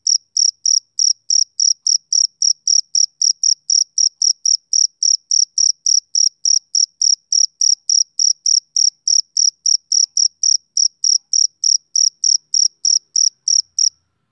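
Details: Male cricket chirping on a summer evening: a high, shrill pulse repeated steadily about three and a half times per second for nearly fourteen seconds, then stopping; nothing else audible.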